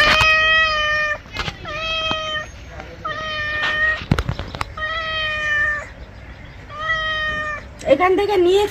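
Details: Angry domestic cat at bath time meowing over and over: about six long, steady, nasal meows of roughly a second each, close to the microphone, with a rougher wavering cry at the end and a voice speaking Bengali.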